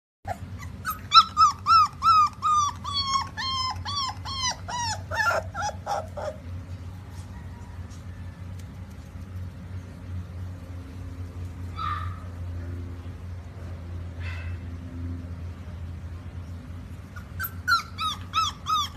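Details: Rottweiler. A Rottweiler puppy lets out quick, high-pitched whimpers, each sliding downward, several per second for about six seconds. After a quieter stretch with a few faint sounds, another burst of whining follows.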